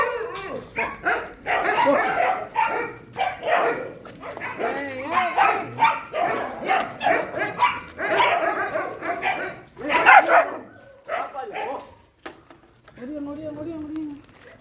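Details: Shelter dogs at night feeding give a steady run of sharp barks roughly every half second, thinning out toward the end into a drawn-out whine with a few distant barks.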